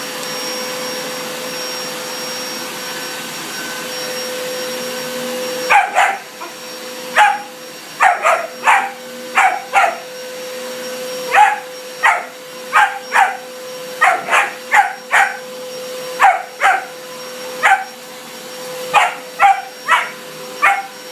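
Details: German Shepherd puppy that dislikes the vacuum cleaner barks at it indoors: a steady vacuum drone runs alone for about six seconds, then around twenty sharp, bright barks follow in quick irregular bursts over the continuing hum.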